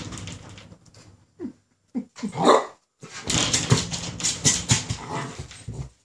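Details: Ten-week-old female Rhodesian Ridgeback puppy seeing herself in a mirror for the first time, giving short sharp yips and a louder bark, followed by scuffling and movement noises.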